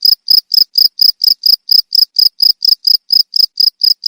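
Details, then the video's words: Cricket calling, sold as a sound that drives away rats; loud, high, even chirps repeated about twice per second in a steady pulsing rhythm, with no other sounds. "SUARA JANGKRIK PENGUSIR TIKUS AMPUH!"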